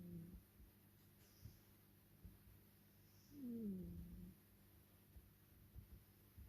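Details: Napping tuxedo cat named Olive gives one drawn-out, low snore that slides downward for about a second midway through, against a faint indoor hum.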